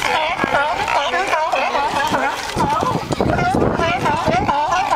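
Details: Many sea lions singing and fighting at once, a constant mass of wavy, harmonic barks with brief gruff snarls mixed in and no pause in the calling.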